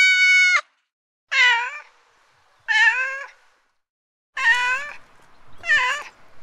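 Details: In-heat domestic cat calling for a mate: five meows, the first long and steady, later ones shorter and wavering with a dipping, slightly bent pitch, faint background hiss toward the end.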